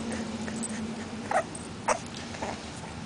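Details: Millie, an 8-week-old female English bulldog puppy, plays outside in the yard, giving a few brief, high whimpering yips over a low steady hum.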